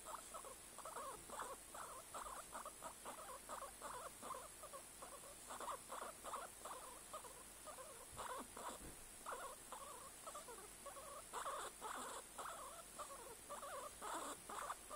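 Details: Guinea pig chattering continuously: clusters of quick, squeaky pulses rising and falling in loudness, with a steady low hiss in the background.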